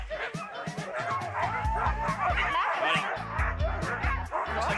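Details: Harnessed sled dogs in a canicross/cani-kart team led by a lead female bark and yip excitedly, eager and motivated to set off, over music and talking.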